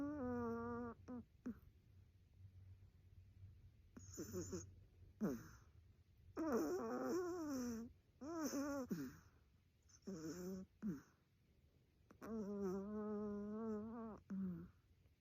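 A Chihuahua vocalizes in its sleep with drawn-out, tonal moans that waver up and down, coming in bouts of one to two seconds. The sounds are more whimpering groans than plain snores, with quiet room noise between them.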